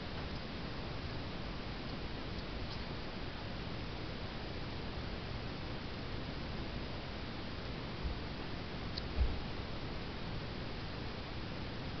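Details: Steady indoor hiss with a few faint ticks and one soft knock, no animal voice.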